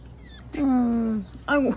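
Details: Ward, a female blue tri merle Border Collie puppy born 9 April 2020, on her first day home after adoption, indoors: a long, steady, slightly falling whine, then a brief pause and a second shorter whine, with faint room noise.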